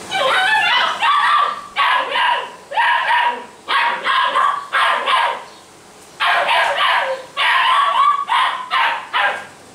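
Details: Young Basset Hounds kept at a kennel in Brazil bark in quick, shrill yaps, about fifteen in ten seconds, grouped in short bursts with one longer pause midway.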